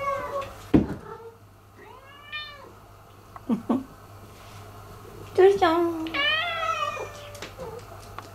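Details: Indoor cats, resident Turi and newcomer Miko, who took over the territory and attacks Turi. Arched, wavering meows rise and fall. A long, loud, complaining meow comes near the end, mixed with a person's soft speech and a steady low hum.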